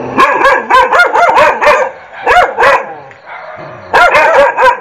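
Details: Dog giving bursts of sharp, harmonic barks in quick clusters of three to five, separated by brief pauses, with a softer gap near the middle before the barking resumes loudly.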